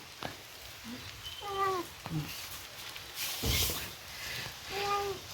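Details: Sick, thin stray domestic cat that came indoors because of rain, crying: a few short, soft meows, two clearer ones near the start and end, with a brief loud knock or rustle in between in a quiet room.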